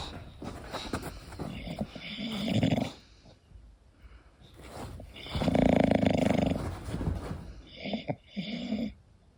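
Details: Loud, rough snores from Koda, an English Bulldog asleep at home, coming in long rumbling waves several seconds apart with short snorting bursts near the end.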